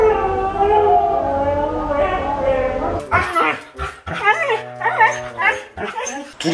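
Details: Siberian Husky making varied vocal sounds, as if talking to its owner; a drawn-out tonal, howl-like whine for about three seconds, followed by people talking.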